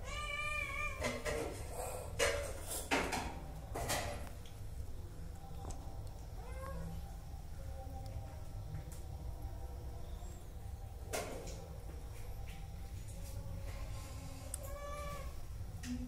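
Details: Hungry cats wanting food give several harmonic meows, some rising then falling, scattered through the stretch over steady low background rumble and clattering noises.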